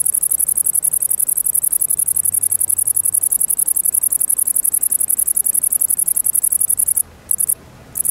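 A great green bush-cricket sings a very high, shrill, rapidly pulsing buzz that runs on almost without pause.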